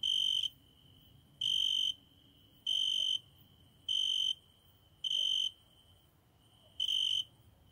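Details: A cricket singing during the night at a window gives six bright, shrill trilled bursts spaced one to one and a half seconds apart, with faint background noise in the pauses.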